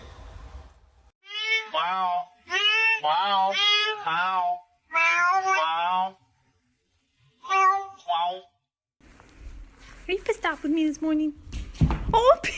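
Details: A pet cat gives a run of four or five drawn-out, wavering meows, each rising and then falling, with short pauses between them, followed by a noisier stretch of mixed voices and clatter at the end.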